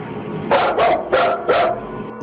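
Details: A full-grown dog indoors barks nervously while backing away from something: four quick, harsh barks in two pairs within about a second and a half, with a steady background hum.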